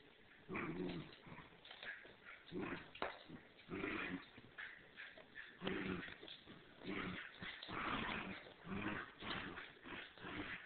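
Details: Two dogs, a three-month-old standard schnauzer and a Bichon, playing tug-of-war: soft rough growly pulses in short bursts, with rustling and scuffling throughout, recorded quietly and muffled.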